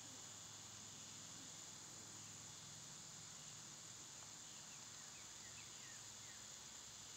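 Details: A summer cicada chorus drones on as a constant, sizzling high buzz. Toward the end, several short, faint downward-sliding bird chirps sound behind it.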